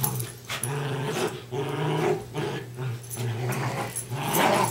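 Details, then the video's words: Playing tug of war, two West Highland White Terriers let out steady low growls that rise and fall in short waves, indoors, with little else heard. "Darby and Riley playing Tug of War"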